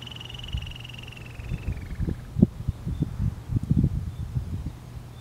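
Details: A cautious female Harris's antelope squirrel near burrow openings at the Arizona-Sonora Desert Museum, Pima County, Arizona, on 18 May 2023 gives a high, rapid trill sliding slightly lower, then low thumps follow.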